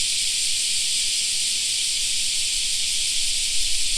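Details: Cicadas filling a summer park with an even, high-pitched hissing drone that never pauses, while a low rumble swells underneath toward the end.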